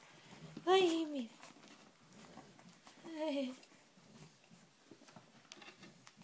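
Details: Cavalier King Charles Spaniel puppies from the litter of Sarlat and Chloé, born 7 April 2014, all wanting to get out; two high, harmonic whines that slide downward, about two seconds apart, with soft handling noises and a woman's voice indoors.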